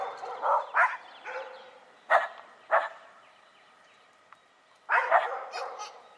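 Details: Shiba Inu and Schipperke dogs trade scattered barks: a few loud yaps, a gap of near quiet, then a final cluster of quick high barks and yips.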